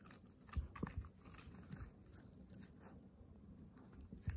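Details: Hana, a female Kooikerhondje puppy born May 30, 2021, kept indoors in Japan, eating a new snack; soft irregular crunching and biting clicks in a quiet small room, a few sharper bites standing out.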